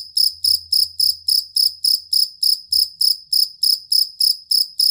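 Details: Steady, shrill chirping from a jangkrik kalung or fighting cricket, used as a training sound for songbirds. Sharp high pulses repeat evenly at roughly three and a half per second, with a soft low hum underneath.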